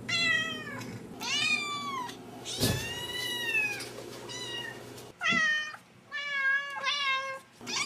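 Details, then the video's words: Pet cats and kittens meowing: a run of high harmonic meows, one long drawn-out cry, a brief thump, then shorter rapid meows, all over a noisy low background hum. "Kittens And Cats Meowing"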